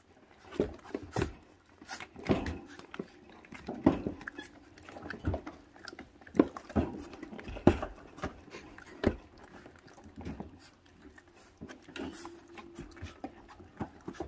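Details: Five feral puppy siblings, 28 days old, eating raw meat down to the bone and already on guard. Short, sharp yips and squeaks come now and then over steady chewing, crunching and scuffling, with a little speech.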